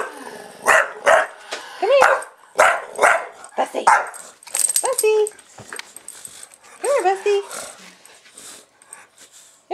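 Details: Excited house bulldog reacting to being filmed, giving a run of hoarse barks mixed with rising, whistly whines and yips while a person talks over it.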